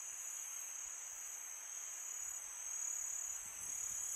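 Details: Crickets chirping at night in summer, a continuous high shrill buzz over a breezy hiss that swells slightly toward the end.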